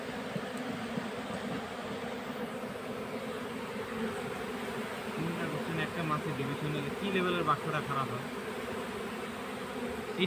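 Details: Honey bee colony being caught into a hive box, a steady low droning hum of many bees throughout, with people talking in Bengali over it in the middle.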